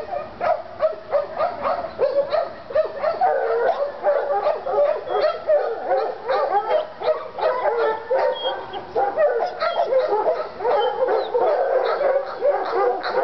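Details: Treeing Walker Coonhounds Lady and Cooper in North Carolina, worked up over a coon skin, give a dense, continuous run of overlapping barks and bawling yelps with hardly a pause.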